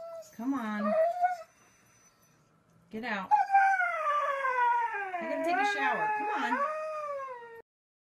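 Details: Indoor dog howling: after a short whine-like burst and a pause, a long, wavering howl rises and falls for about four seconds before stopping abruptly, with little background noise.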